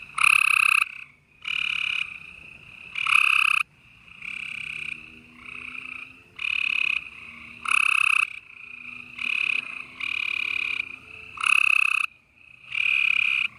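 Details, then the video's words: Springtime night chorus of gray treefrogs, Houston, Texas, 28 April 2020: loud, harsh trills repeat in quick succession from several frogs, with softer trilling filling the gaps and a faint low hum. "Gray Tree Frogs Chorus"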